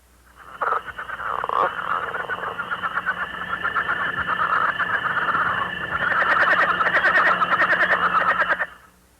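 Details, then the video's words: Leopard frogs in Missouri calling in early spring, giving rapid, rattling chuckle calls that run together in a steady stream. "You can hear leopard frogs calling in early spring. (leopard frog call)"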